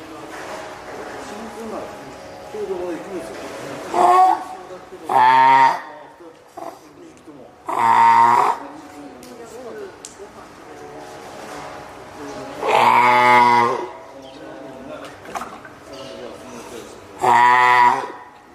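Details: Spotted seal pup, female, three weeks old and hand-reared at Oga Aquarium, Japan, 9 May 2017, calling loudly as if hungry, wanting out onto land or summoning its keeper; five long, bleating, harmonic wails over indoor chatter.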